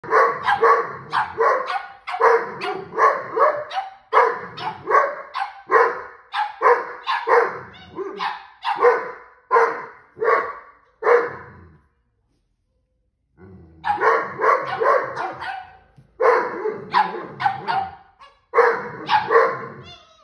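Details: A Boston Terrier and a Doberman bark and growl back and forth in a rapid, noisy squabble, disagreeing over play time; finding: Dog.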